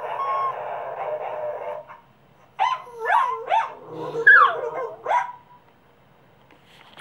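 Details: Cavalier Spaniel and Papillon mix dog making noises on its first howling attempt: a muffled droning tone, silence, then a run of quick rising-falling yowls and yips.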